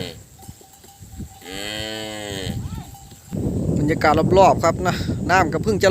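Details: Calves separated from their mothers bawl together in a noisy chorus: one steady, low mooing call, then a dense overlapping burst of wavering cries from several calves.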